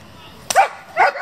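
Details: German Shepherd from a working group that breeds and competes with the breed, giving two short, sharp barks about half a second apart, the second slightly softer, against a quiet background.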